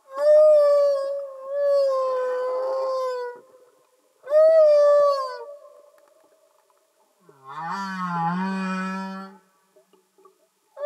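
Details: Humpback whale song recorded underwater, where males sing: sustained wavering tonal cries, two long high moans followed after a gap by a lower, buzzier rising-and-falling unit with dense harmonics.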